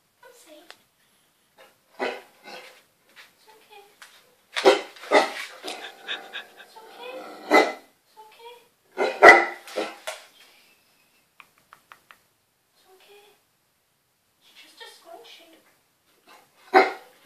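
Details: Eight-month-old Great Dane pup excited by a scrunchy being used in the bath, giving scattered short barks and yelps in uneven bursts with quiet gaps, mixed with a person talking indoors.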